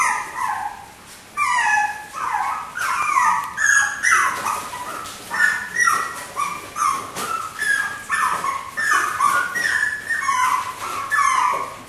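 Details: Four white miniature schnauzer puppy sisters born 18 August whine and yip together in overlapping, high, bending cries, rising and falling in quick bursts throughout.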